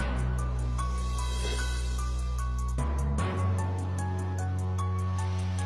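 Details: Soft sustained background music with a chord change partway through, and no animal voice heard.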